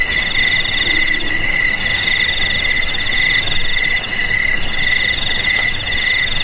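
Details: Dense cricket chorus with several overlapping continuous trills at different pitches, a lower ringing tone swelling in short pulses, and a soft background hiss.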